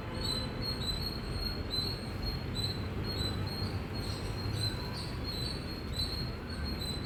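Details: Indian squirrel giving loud chirps: a steady series of short, high, squeaky notes repeated roughly twice a second throughout, over a constant low rumbling background.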